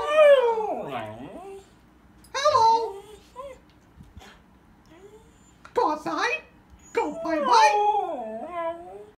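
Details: Husky that dislikes its owner's Mickey Mouse impression answering with wavering, up-and-down whining howls in several bursts, mixed with high squeaky voice sounds and short gaps of quiet.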